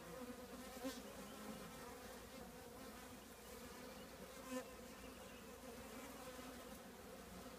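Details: Dense, even drone from honey bees housed in an old trash can, a rich layered hum that holds steady throughout, with two brief taps.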